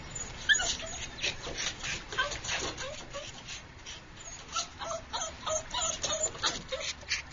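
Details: Dog swimming in a backyard pool, trying to get a plastic duck. Gives rapid, high, excited whines and yips, repeated irregularly, with splashing water.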